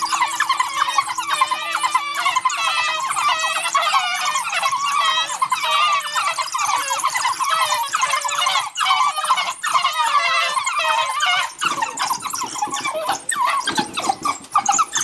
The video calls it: Crying African Wild Dog